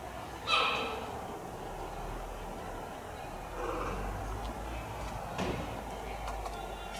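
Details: Chirp from a cheetah cub, offspring of Dura, kept at Tama Zoological Park: one sharp, bird-like tonal yelp near the start, then steady crowd chatter and background hum for several seconds.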